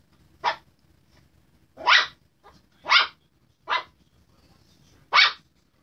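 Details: A Chihuahua barking while harassing a Redbone Coonhound: five sharp, high, yappy barks spaced about a second apart, with quiet pauses between them.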